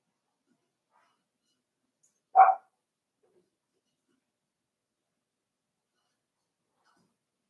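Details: Cavalier King Charles Spaniel puppies, five weeks old, in an indoor puppy pen; a single short, sharp yap stands alone against near silence.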